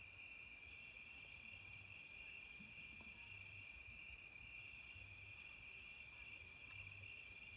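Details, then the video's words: Fighting crickets at night, heard as a rapid, regular series of high, shrill pulsed chirps, about two to three per second, over a steady high ringing tone from other insects and a faint low background hum. "សំឡេងចង្រឹតពេលរាត្រី fighting crickets’ sound at night"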